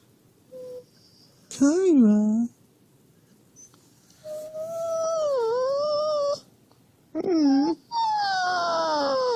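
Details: Husky whining to wake its owner in the morning, acting as an alarm clock; loud, wavering, drawn-out whines and yowls with sliding pitch, several in a row over nine seconds, a person speaking briefly.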